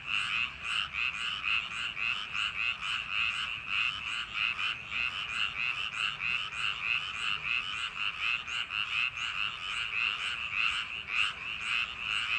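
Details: Frogs of rice paddies calling through a summer night: a thick, unbroken chorus of buzzy croaks, pulses crowding at nearly two per second, steady in loudness throughout.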